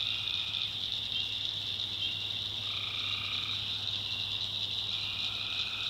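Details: Tree frogs calling at night in the backwoods of North Carolina, a dense, steady high-pitched trilling chorus with longer droning notes rising and falling at intervals and a low hum underneath.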